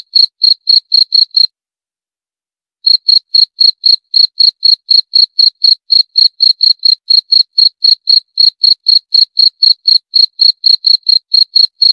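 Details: Cricket chirps, high and short, repeating about four times a second, broken by a pause of over a second before the regular chirping resumes and continues to the end.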